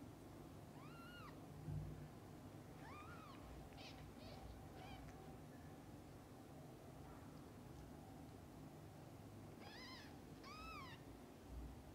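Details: Kittens with their mother cat, newborn to eyes opening: repeated high arched meows in small bursts, around one, three, four to five, and ten to eleven seconds, with low room rumble beneath.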